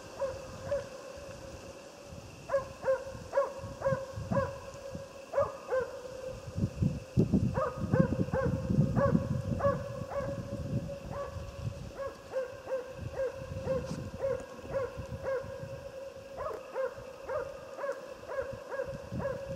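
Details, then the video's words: Moose hunting with the Jämthund Otis: long bouts of distant, repeated barks about twice per second, broken by short gaps, over low rumbling wind or handling noise and a steady background tone. "Älgjakt med jämthund"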